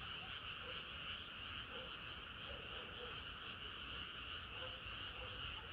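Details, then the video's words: Frogs singing on a hot summer night, their croaks blending into an almost unbroken wall of sound, with scattered lower calls and a noticeable low background rumble. "개구리들의 합창은 끝이 없어라"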